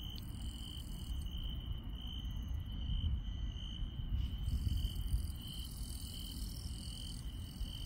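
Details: Insects chirp through a rural night, a steady high trill running on beneath intermittent higher buzzing calls, with strong low background noise swelling midway.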